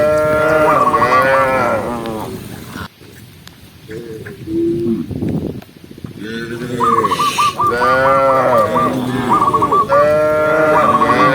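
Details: Several tame cows being herded as they run down a green hill moo in long, drawn-out, harmonic-rich calls that overlap one another.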